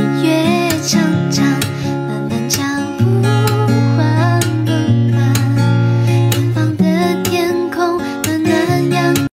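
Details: Strummed acoustic guitar with plucked melody and steady low bass notes, possibly with faint singing, plays throughout with no animal sound.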